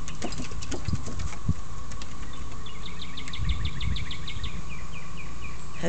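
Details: A steady, high, constant collective cicada chorus hums without a break beneath the low rumble of someone mowing a yard and a voice.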